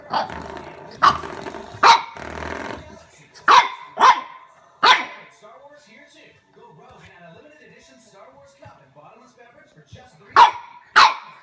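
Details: French Bulldog puppy barking at a door stopper at home; bursts of sharp, high yaps, a noisy scuffling rattle early on, then a long quiet stretch before two final barks.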